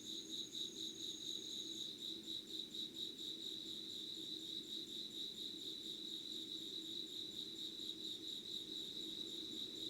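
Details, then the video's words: Insects calling at 05:00 on 25 August 2019, in an unedited recording. A steady, fast pulsing trill sits high at one pitch, with a thin higher tone over the first two seconds and a low constant hum beneath. "Sounds of insects with candle light.☆ろうそくの灯りと虫の声"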